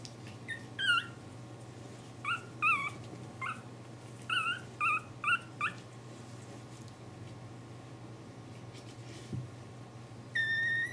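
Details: Pomeranian puppies, 28 days old, whimpering in a series of short, high, whistled squeals with wavering pitch, in bursts of two or three, then a pause and one longer squeal, over a low steady hum.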